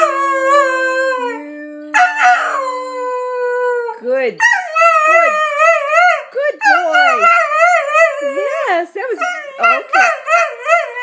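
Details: A Cocker Spaniel, woken from sleep, howls in long, wavering, tuneful notes that rise and fall like singing as people sing happy birthday to him.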